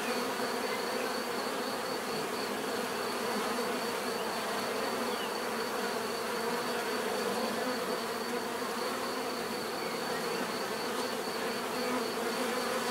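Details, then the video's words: Bees droning continuously, a thick even buzz of overlapping wingbeats holding level throughout, with a steady thin whine high above. "bees therapy relaxing natural buzzing sound"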